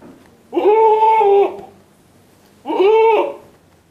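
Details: Etawah goat giving two loud, drawn-out bleats, each about a second long with a rich, slightly wavering nasal tone, separated by a quiet pause, recorded indoors.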